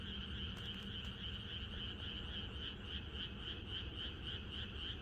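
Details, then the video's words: Countryside frog chorus on a night before rain: many frogs calling at once in a thick, continuous trilling wall of sound with rapid pulses, over a steady low background rumble. "이것이 자연의 소리 ~개구리들의 합창"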